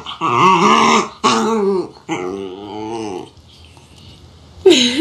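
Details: Puppy giving three drawn-out, harmonic, moaning howls in quick succession, each slightly wavering, then a short quiet stretch before a final rising yelp-like cry; some growly rasp in the voice.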